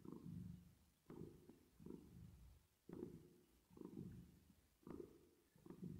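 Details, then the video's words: Sleeping, resting cat purring under a reverb effect: a soft low rumble pulsing in steady breath-paced waves, quieter than elsewhere, with each surge starting sharply and tapering off. "10 Minutes Of Cat Purring Sound With Reverb Effect"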